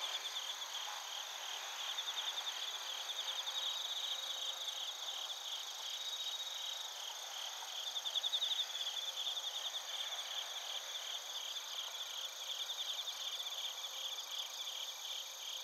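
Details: Bell crickets and other crickets singing together in Narita, Chiba, Japan, captured on a TASCAM Portacapture X8: steady high ringing chorus, overlapping trilled chirps rising and falling, one burst louder near the middle.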